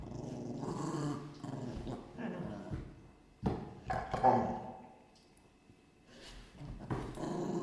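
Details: Dogs in a room growling in rough, gravelly bursts that rise and fall irregularly, with a short pause near the middle before the snarling rumble resumes.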